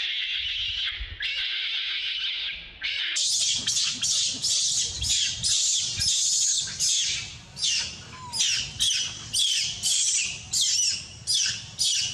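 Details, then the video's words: Crying loudly for milk, adult monkeys give two drawn-out piercing wails, then a rapid series of harsh screams roughly every half second, rising and falling in loudness. "see adult monkeys crying loudly want drink milk"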